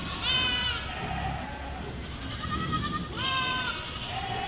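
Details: Goat flock walking through a village: two loud, wavering bleats with rich harmonic stacks, one near the start and another about three seconds later, over a low background rumble.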